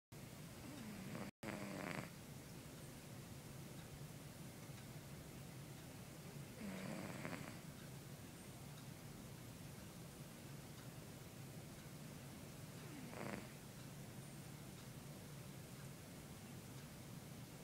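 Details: A pet cat named Tiger snores while asleep: soft, breathy snore bursts about every five to six seconds over a steady low hiss of room noise.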